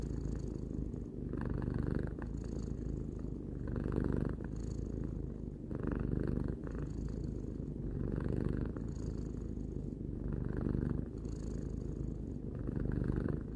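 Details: Domestic cat Tarou, aged three, gives a long rhythmic purr, deep rumbling tone swelling roughly twice a minute-beat pattern of breaths, clean and uninterrupted.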